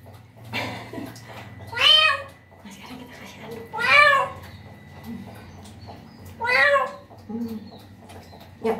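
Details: Street cat in its first-ever bath, carefully washed, cries three strong arching meows roughly two seconds apart, each bright and harmonic, with softer low murmurs and handling sounds in the pauses.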